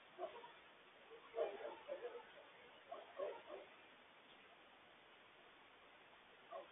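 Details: Coyotes raising a frantic alarm about a loose stray dog, warning the family to stay safe: faint, far-off clusters of rapid high yips and wavering notes, three bursts separated by quiet stretches of background hiss.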